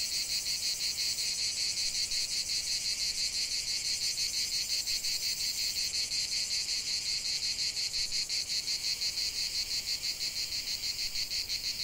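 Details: Cicadas chanting outdoors, a high electric-sounding buzz beating in fast regular throbs near three per second, slightly denser in the second half, nothing else audible.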